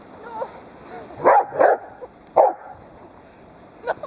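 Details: Playful barking from one of two pet dogs, a Dobermann and a Rottweiler, romping with their owner as the Dobermann pulls at a scarf; two rapid barks, a pause, then a third, with a faint sound near the end.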